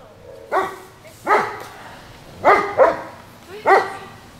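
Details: Loud, harsh barks from a German Shepherd left without a playmate, five in quick succession, two of them nearly doubled, each a clipped burst with rich overtones, against a quiet background.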